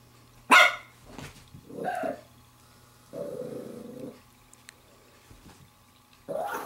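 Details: Playing with a glove, a female Pembroke Welsh Corgi puppy of seven weeks and six days lets out one high yelp, softer whines, a low second-long growl, then another bark at the end, with a steady hum underneath.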